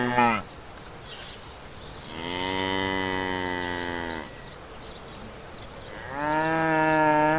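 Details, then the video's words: A brief cry starts the recording, followed by a long steady moo from a farm cow lasting about two seconds, quiet, then another rising moo near six seconds continuing to the close. "Farm Animal-Cows/Vache"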